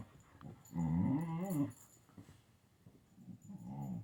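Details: Siberian Husky playing with a kitten indoors; a low, rumbling, warbling growl-talk lasts about a second, followed by quieter rustles and a shorter grumbling growl near the end.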